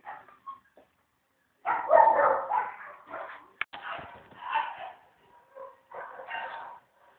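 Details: Chow Chow puppies at a kennel, filmed secretly: grainy, strained whining yelps in bursts after a quiet start, with a sharp click midway and softer trailing whimpers toward the end.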